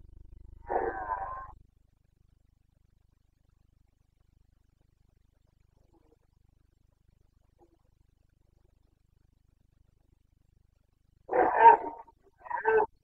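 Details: Roaring Carpathian red deer stag in the Bucovina breeding season, 29 September 2022: a rasping bellow opens, followed by long quiet, then a pair of coarse, guttural roars close together near the end.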